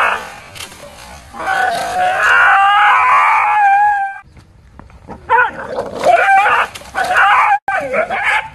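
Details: Golden Retriever howling and whining in long, wavering tones, two drawn-out stretches split by a quiet pause, with faint music in the background.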